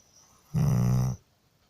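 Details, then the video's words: A sleeping dog snoring: one low, rumbling, buzzy snore lasting about half a second, steady in pitch, between quiet pauses indoors. "Мой пёс храпит"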